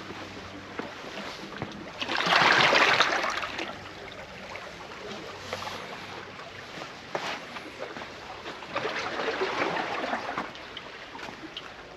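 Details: Outdoor noise of rushing water, splashing and rustling in two loud swells, with faint murmurs and no animal calls.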